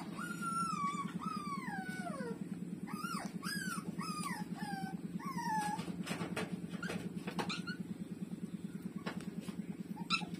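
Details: Puppies, including one named Lulu, street dog pups nursing from their mother; high descending whines and squeals repeated in quick succession, over a steady low pulsing hum, with a few sharp clicks later.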